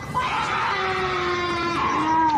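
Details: A cougar gives a long, harsh, wavering scream that slowly falls in pitch, likened to a woman shrieking in the woods; according to its uploader, it is a mating call.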